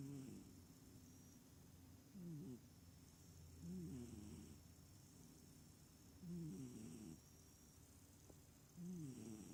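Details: Sleeping small cat snoring rather than purring, each breath a short wavering nasal rasp that bends down then up, repeating roughly every two seconds over a quiet room hum.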